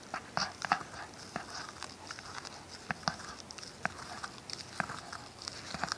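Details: Mixed Shiba Inu and Schipperke dog Ronin chomping a tennis ball in a small room: quick clustered crunches and squeaky bites, several per second, close and clear.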